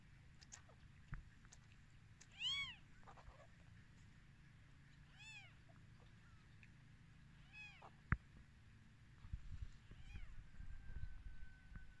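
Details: Kittens newly born on their first day, producing several faint, thin, arched mews spaced a few seconds apart against a steady low background rumble, with a sharp click midway and some handling noise near the end.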